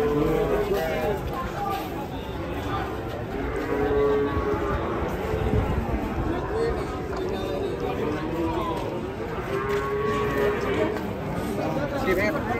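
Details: Agitated cattle coming down from a truck, raging as they are unloaded. Long, low, droning moos rise out of the din near the start, around four seconds and again near ten seconds, over constant crowd chatter and human voices.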